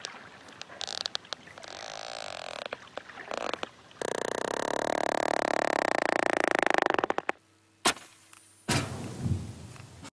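Sperm whale codas come through as brisk sequences of dry, sharp clicks, grouped into short patterned runs used in communication. A stretch of broad hiss washes over the middle, and a low hum and room noise follow.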